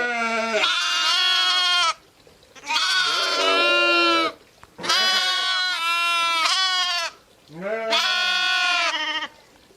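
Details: Sheep and lambs bleating in long, quavering, harmonic-rich cries, four calls spaced a few seconds apart, with music and voices also present.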